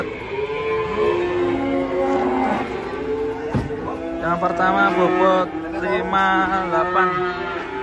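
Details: Big cattle unloaded from a truck: a long, even lowing moo in the first seconds, then people talking in Indonesian over further mooing and a sharp knock midway.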